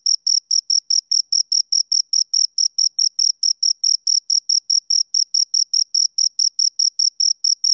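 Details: Sharp, high cricket chirps from two insects, repeated in a brisk, even pulse train with clean gaps and no background noise.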